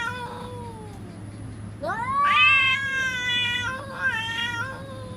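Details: Cats in a threatening standoff: a fading tail of one yowl, then a loud wail that rises and holds a wavering, slowly falling pitch before breaking into a shorter yowl.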